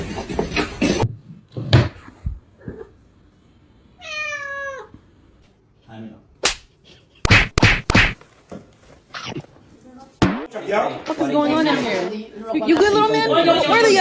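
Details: Domestic cat in a funny pet compilation giving one clear, tonal meow, steady then falling slightly, about four seconds in. Sharp knocks and thuds come before and after it, and human speech and voices fill the final seconds.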